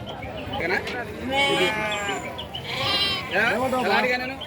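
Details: Sheep bleating at the weekly Chillakallu sheep and goat market on 8 June 2024. Three strong, shaky bleats come in quick succession, each bright and wavering, with traders' voices haggling close by.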